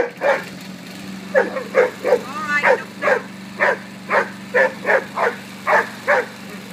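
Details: Rain, a Rhodesian Ridgeback, barks repeatedly at a running lawnmower; a rapid, fairly even series of about a dozen sharp barks over a constant low motor drone, with one brief whine-like sound midway.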